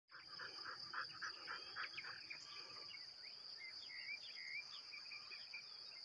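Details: Crickets and cicadas keep up a steady, high-pitched trill, with faint bird chirps scattered underneath.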